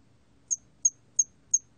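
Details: Hairy cricket from a 2020 Korean national biological resources recording: four short, very high, pure chirps spaced about a third of a second apart, in a quiet background.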